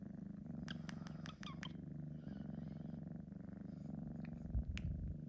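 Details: A 3-month-old male Sphynx cat purrs in a steady, low rumbling drone, yawning after a nap.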